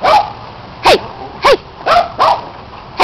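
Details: Domestic dogs playing with a red Kong toy, with a neighbour's dog chiming in; five or six sharp, high, yelping barks spaced roughly half a second apart, each with a quick pitch sweep, over low background noise.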